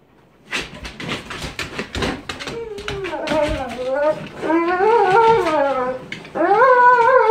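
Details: Cane Corso Cronus of Golden Age, in K911 Level 3 bite sleeve training, makes rapid clicking and scuffling at first, then long, rising and falling whines that grow louder toward the end, with faint voices indoors.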